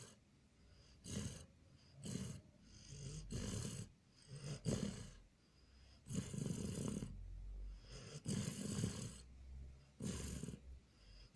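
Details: Border Collie Jon asleep and snoring, 14/04/2018: repeated rough, low-pitched snores about every second or two, some longer and rumbling, with soft breathing between them indoors.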